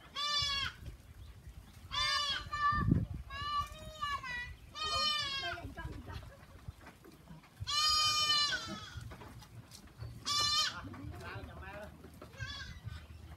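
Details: Goats on a farm bleating repeatedly: loud, nasal, wavering harmonic cries in irregular bursts about a second long, several overlapping, with quieter bleats and low thumps and rustling between them.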